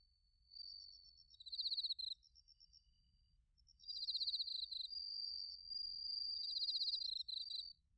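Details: Autumn chorus of bell crickets and crickets, recorded in Narita, Chiba Prefecture, Japan, with a TASCAM Portacapture X8; bright pulsed chirps and a long sustained high trill blend together, swelling loudly through the second half.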